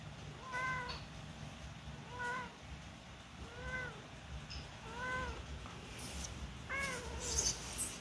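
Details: Newborn kittens about one week old, learning to walk, give high thin meows repeated roughly every one and a half seconds, six arched harmonic-rich cries over low steady background rumble.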